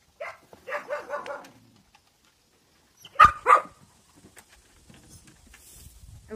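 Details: Central Asian Shepherd puppies in Russia: a quick run of four thin, whiny yelps, a pause, then two louder, sharper yelps in close succession.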